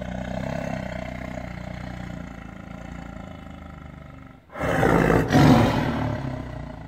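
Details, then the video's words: Caged tiger, angry and held in captivity, breaking into a loud rasping roar after a quieter stretch of constant low humming background noise; the roar swells twice before easing. "Caged Tiger Roar with ANGER"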